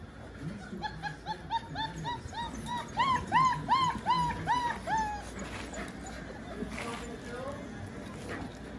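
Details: Hungry puppies at dinner time, answering a person calling "puppies, puppies, puppies" as they run in to eat; a rapid series of rising-falling whiny yelps, about three per second, over scuffling and a person's voice.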